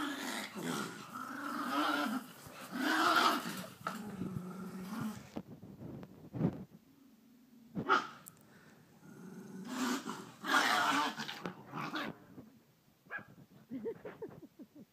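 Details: Dogs locked in a fight, a pit bull against a Jack Russell, giving long harsh growls and snarls that rise into loud ragged outbursts and then drop into quieter rumbling stretches, with scuffling in between.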